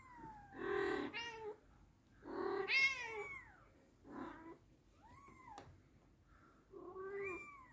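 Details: British Shorthair mother cat and kitten calling back and forth: strong, drawn-out meows alternate with high, thin, arching kitten mews, about six calls in under eight seconds, in a quiet room.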